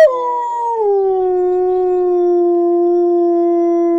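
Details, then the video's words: Young dog named Bolt howling as he is taught to howl: one long, smooth tonal howl that dips slightly in pitch within the first second, then holds steady and unbroken to the end, with no other sounds. "Teach your dog how to howl"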